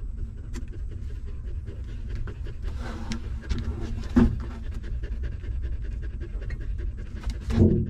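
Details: Newborn puppies feeding from their stray mother dog, with quiet rhythmic sucking clicks and two short whimpering squeaks near the middle and at the end, over a low background hum.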